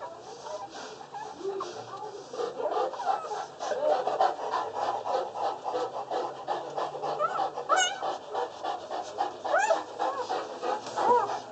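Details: Newborn Boerboel puppies under a day old, part of a litter of six from RM Roper and Jacob Silo at Jacob Boerboel Kennel, squeal and whimper almost continuously in high, thin, wavering cries that overlap one another.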